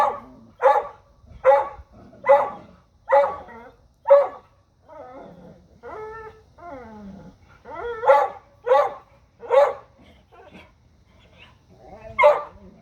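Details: Dogs barking at a deer: a steady run of about six sharp, loud barks roughly once a second, a pause with whiny, wavering notes, then another burst of four barks and a final single bark.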